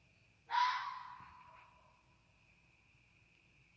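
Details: A coyote, heard in Canada from a deck and perched on a car roof, gives one harsh, rasping yelp that trails off into a fading, wavering whine, a strange-sounding call.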